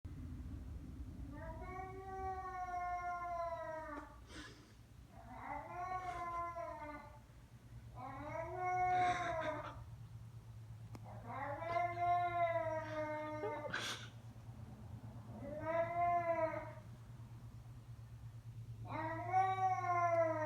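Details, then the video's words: Pet cat making strange noises indoors: a long series of drawn-out, harmonic-rich wavering meows, roughly six in twenty seconds, some ending in rising squeaks, over a steady low hum. "My cat makes strange noises"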